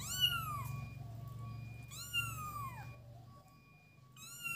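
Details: Playing kittens give long, strained high meows that sweep down in pitch, two full calls and the start of a third, over a constant low droning hum.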